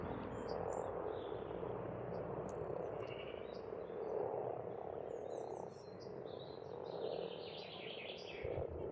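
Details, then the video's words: A spring frog chorus from an Estonian farm pond: steady, overlapping croaking that swells and dips, while birds add scattered high whistles and chirps in the background. "Расслабляющее пение птиц и лягушек"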